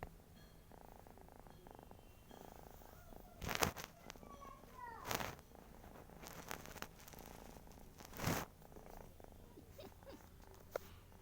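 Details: House cat snoring: continuous rapid pulsing rumble, broken by several loud rustling or handling bursts and a few faint voice-like sounds.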